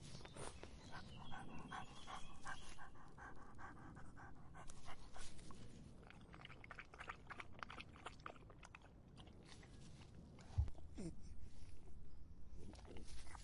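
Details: Dog quenching its thirst in the summer heat, with soft wet laps and panting-like breaths in a close, quiet setting. A sharp knock about two thirds of the way through, then the lapping continues.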